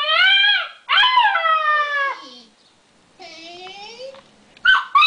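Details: Alaskan Malamute puppy, about 8 weeks old, 'talks' at a creaking door heard in a Lowe's TV advert: two strong whining howls sliding downward, a quieter rising whine, then short sharp yelps at the end.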